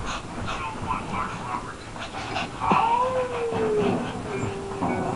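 A Shih Tzu lets out a high, nasal whine that bends and falls in pitch, then trails off into a lower held tone, made while the dogs are fighting. A person's voice and muffled household noise run underneath.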